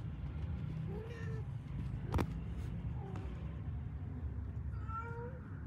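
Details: Pet cat family with kittens finding their mother cat: two short meows, one near the start and one near the end, each with a slight rise and fall, over a steady low hum and a sharp click between them.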